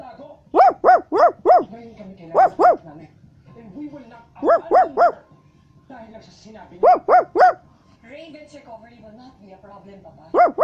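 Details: Basset Hound. A Basset Hound gives deep, booming barks in rapid clusters of three to four, with short pauses between bursts. A few softer whines and a faint voice can be heard in the gaps.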